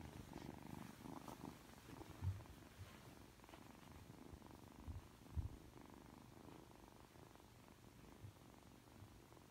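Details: Ragdoll kitten aged three months purrs affectionately right after waking, a quiet, deep, unbroken vibrating rumble, interrupted by a few soft clicks and brushing sounds.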